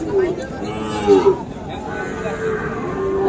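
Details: Sahiwal bull calves at the Ambari cattle market in Tangail on Friday 25 August: several drawn-out, low, tonal moos, one louder near the middle, over steady crowd chatter and market bustle.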